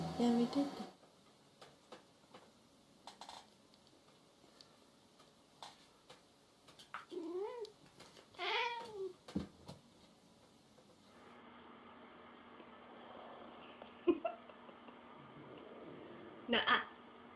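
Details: Domestic cats in a funny compilation of jealous pets; two drawn-out, arching meows rise and fall in pitch close together, among soft thumps and a quiet indoor background, with a brief voice at the start.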